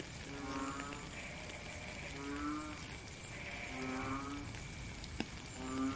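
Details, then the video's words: Frog calling in the rain in nature, recorded in real time: short tonal humming notes with a buzzy harmonic edge, about half a second each, repeated irregularly roughly every second over steady hissing rainfall. "Frog and Rain - 10 minutes Faint Beautiful Song"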